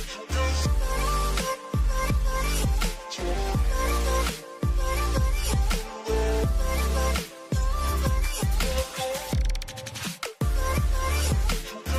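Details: Loud electronic dance music with heavy beats and no animal voices.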